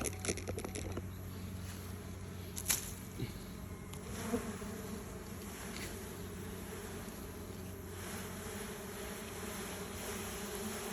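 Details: Bees at one of two nests built close together, the other nest since abandoned; a steady low buzzing hum runs throughout, with a few sharp clicks and taps early on.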